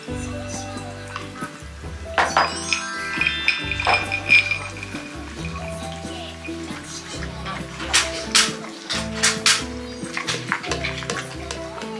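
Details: Background music plays over the clink of dishes and utensils, with no animal voice heard. Sizzling and some kitchen noise mix in among the tune.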